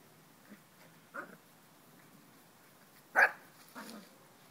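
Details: Puppies at play, teasing each other with pine cones: a few short, sharp yaps, one loud bark near the middle and a softer one after it, separated by quiet rustling.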